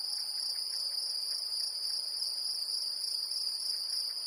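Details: Great green bush-cricket in Brittany, France: an unbroken, steady high-pitched buzzing trill holding an even level throughout, with no other clear sounds.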